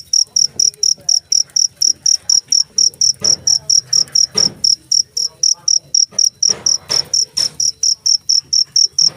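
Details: Cricket pulses out bright, high chirps at a quick, slightly uneven pace, accompanied by several dull thumps and brief rustling noises.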